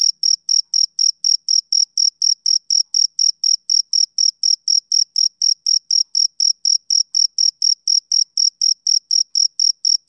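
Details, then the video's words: Summer-evening chirps of a male cricket, a bright, piercing note pulsed around four times a second. The beat is steady and the volume constant, with no competing noise. "Cricket Chirping Sound Effect"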